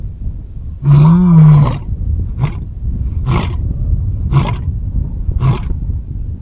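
A lion gives one long, deep roar that swells and fades, then a run of short grunting roars.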